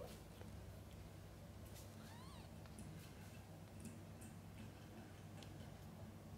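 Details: Domestic cat with kittens, the mother feeding and bathing them: a faint, thin mew with a rising then falling, harmonic-rich contour. It sounds once in the middle, over a steady low hum and soft clicks.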